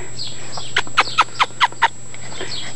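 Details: Newfoundland puppies, six weeks old, at play in a litter of brown and black boys and a black girl; a run of five short yelping barks about every fifth of a second, with a steady electrical hum beneath.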